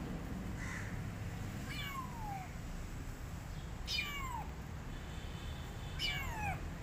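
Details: Loki, a male British Shorthair cat wearing a harness, described as defending his territory, gives three clear meows that each slide downward, spaced about two seconds apart over a steady background hiss.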